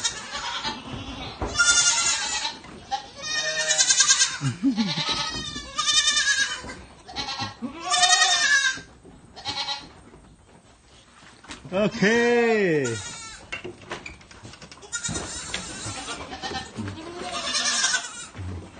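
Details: Baby goats bleating while getting fed milk, many overlapping wavering nasal cries in quick succession, some rising and falling, with short pauses between bursts.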